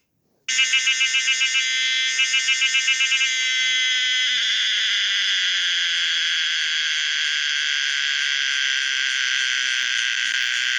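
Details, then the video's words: Common cicada Pomponia linearis starting with a series of quick throbbing pulses, about four per second, then merging into a continuous loud metallic buzz that persists steadily. "the weird sound of the common cicada pomponia linearis"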